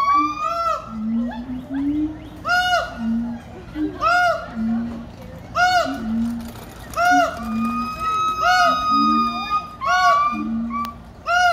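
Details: Siamangs (Symphalangus syndactylus) give loud, repeated whooping calls with rising and falling barks, yelling to defend their territory alongside a baboon.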